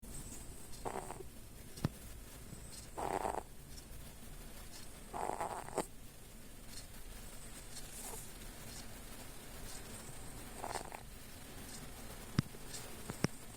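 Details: Domestic cat snoring while dozing with eyes half open; soft, raspy breaths rise from a low hum at uneven intervals, roughly four snores with long quiet gaps and a few faint clicks.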